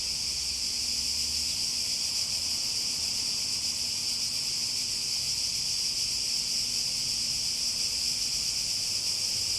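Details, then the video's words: Cicadas droning loudly and evenly, a bright hissing buzz filling the air from start to end, with a faint low hum beneath. "Relaxing Sounds With Cicadas"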